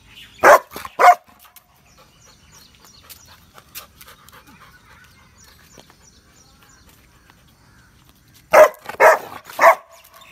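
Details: Guarding on command, Rottweiler Roxy fires off two quick barks, falls silent for about seven seconds, then lets loose a rapid burst of three more harsh barks.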